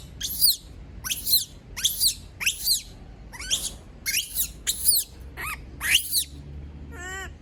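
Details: Female monkey left on her own, screaming: about ten sharp, shrill, descending shrieks spaced roughly half a second apart, ending in a softer wavering whimper.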